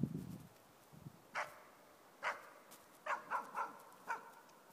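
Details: A four-month-old East Siberian Laika, on her first bay at a moose while hunting, gives sharp, spaced barks, some coming in quick runs.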